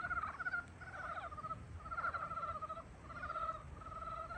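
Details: Croaking frogs greeting spring, a run of pulsed, rattling trills in bursts of about half a second to a second, several frogs alternating and overlapping, with steady faint hiss behind.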